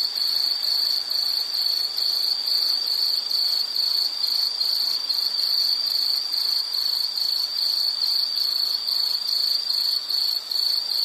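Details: High insect chirp repeated at a steady rate of a little over two pulses per second, each burst rhythmic and even, with a fainter higher tone behind.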